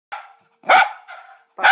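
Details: A Cocker Spaniel barks at a decorative fake cocker spaniel, giving a quick run of sharp, mid-pitched barks.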